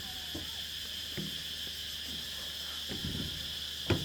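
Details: A dense insect chorus on Nang Yuan Island at dusk hums as a steady, shrill high-pitched drone; the insects fall silent as someone walks by.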